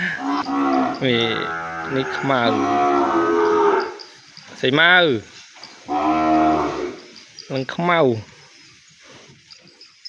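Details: Calf kept apart from its mother in a pen, crying out for her: a long harmonic bawl of nearly four seconds, then shorter wavering calls about every one to two seconds, falling in pitch at the ends.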